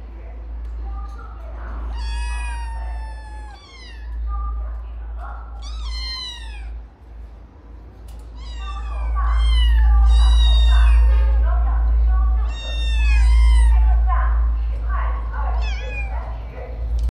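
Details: Several kittens mew at once in overlapping high, falling cries, in bursts over about seventeen seconds, partly masked by a heavy low rumble.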